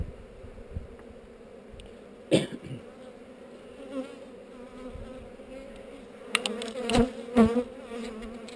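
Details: During a hive inspection on heather, honey bees hum steadily close to a GoPro, their two-toned drone broken by several loud knocks and scraping bursts from handling the hive, with wavering higher buzzes from bees flying past.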